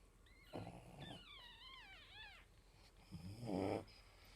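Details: Pug mother asleep while nursing her six puppies, aged four days, indoors. Soft pulsed snorting breaths come at the start and again near the end. Between them, high wavering whistle-like squeals rise and fall in a series of arcs.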